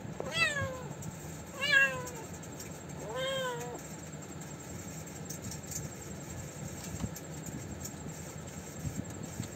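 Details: Kitten playing with a dead baby mouse that its mother cat brought for it to eat; three short, high, falling meows at about 1.5-second intervals, followed by quiet room background.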